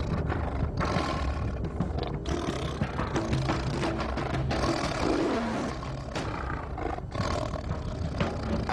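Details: Tiger; roar; aggression while attacking elephants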